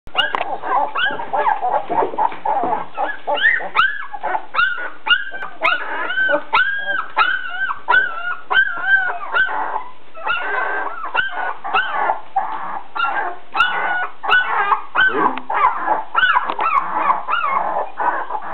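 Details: Litter of 16-day-old Perro de Agua puppies born 31 August 2009 to Dutch champion Shira at a kennel in the Netherlands, giving a dense chorus of high, wavering whimpers and squeals, overlapping and continuous, with occasional clicks.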